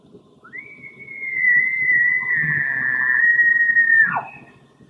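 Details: Elk. A bull elk gives a bugle: a high, eerie whistle that slides up, holds for several seconds like a scream, then breaks and falls away. Low rumbling noise sits underneath.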